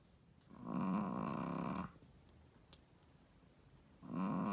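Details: A Shih Tzu mother, a first-time mother, snores loudly, each long rasping breath rumbling low and returning after a few quiet seconds.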